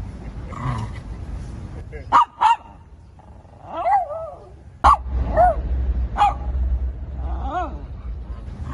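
A Shih Tzu barks in short, sharp bursts, often two close together, then pauses. Between barks come higher, wavering yelps and whiny notes, with a low hum of background noise.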